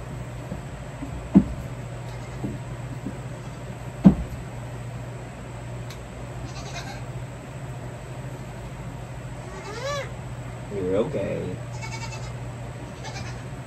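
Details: Young goat kids being handled for hoof trimming give two short, quavering bleats close together late on, over a steady low hum, with a couple of sharp knocks earlier.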